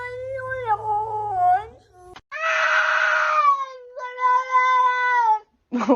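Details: Domestic pet cat from a funny-cats compilation letting out loud, drawn-out meows: a wavering cry, a harsh strained yowl, then another long even wail before a brief last call, heard in a quiet room.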